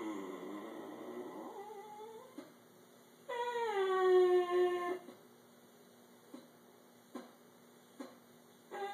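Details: Elderly male Italian Greyhound, 13 years old, 'talking' to his owner in a small room, a habit every morning and night; a long wavering whine sliding upward, then a drawn-out tonal moan falling in pitch, with soft clicks after.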